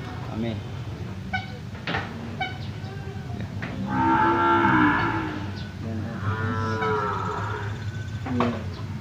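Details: Cattle for sale at the Jonggol animal market in Indonesia: two drawn-out harmonic moos, the first near the middle and a second shortly after, over a steady low hum and the murmur of the crowded market.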